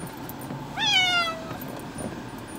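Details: Male pet cat Floki, unhappy on the way to the vet for a nail trim, lets out a single loud meow that rises briefly then slides downward over about half a second, over faint background hum.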